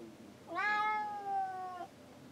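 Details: Bailey, a pet cat shut inside a boat cabin while men work on deck, crying to be let out: one long clear meow rising then holding steady and falling away after about 1.3 seconds, in a small quiet room.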